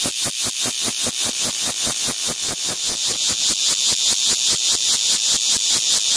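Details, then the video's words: A cicada perched on a window calls at very close range, producing an intense rasping buzz pulsed in a fast, highly regular rhythm of roughly four to five beats per second, loud and unbroken across the recording. "Cicada on the Window"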